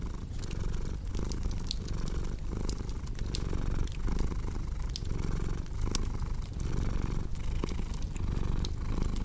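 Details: Relaxed cat purring, a soft, deep, buzzing hum that rises and falls in even breath-paced waves, with a cozy fireplace crackling and popping in the background.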